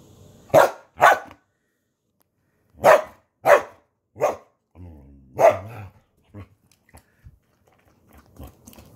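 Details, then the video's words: Indoor Samoyed dog that loves beer, grumbling to ask for more: a series of short, loud, rough bark-like grumbles, mostly in pairs with pauses between, fading into softer muttering sounds at the end. "Samoyed looooves beer. make sure you turn your volume up, he grumbles"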